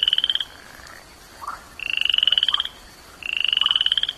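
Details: Three high, rapidly pulsed trills from a tiny toad, each about a second long and rising slightly in pitch, come at roughly one-and-a-half-second intervals. Soft lower chirps sound between them.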